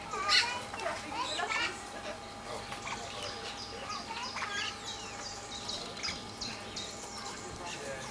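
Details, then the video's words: Asian small-clawed otters spending a peaceful afternoon playing together among rocks, chattering excitedly: a dense continuous stream of overlapping high chirps and twittering squeaks throughout. "Felices nutrias chillan de emoción mientras juegan"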